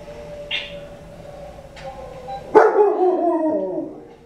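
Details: Dogs howling while watching the film Doctor Zhivago; after a quiet stretch with a faint steady tone and a couple of soft noises, one long wavering howl starts abruptly and slides downward over about two seconds.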